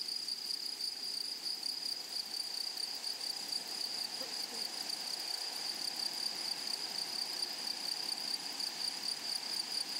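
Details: Grasshoppers in a flowery meadow or prairie: a steady, high-pitched shimmering trill that holds unbroken for the whole stretch, with a fainter, even higher overtone above it and a soft outdoor hiss beneath.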